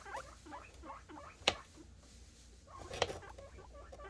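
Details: Guinea pig boars making happy noises in anticipation of food: a steady stream of short, squeaky, rising-and-falling calls, repeated quickly, broken by two sharp clicks or knocks.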